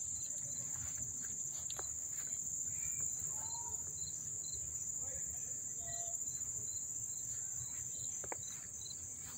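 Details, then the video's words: Crickets at Dobbs Ferry, New York, on August 1, 2014, heard up close as a steady piercing trill, while short whistled bird notes and faint chirps break in over low ambient hum. "the chirping of the crickets"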